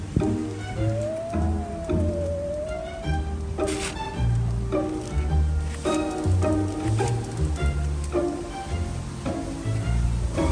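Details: Bowed string music with cello, violin and double bass plays steadily throughout, with rhythmic plucked notes and a gliding melodic line; no animal voice is heard.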